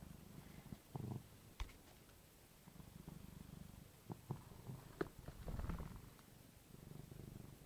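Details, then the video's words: A domestic cat snoring beside a person trying to sleep indoors at night: low, rumbling breaths with irregular soft bursts and a few clicks, in a quiet small room. "Cat Snoring"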